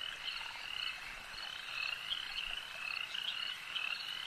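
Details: Frogs at a lake croak in a thick chorus, high-pitched rattles repeating rapidly and overlapping into a steady, bright drone with small swells in loudness.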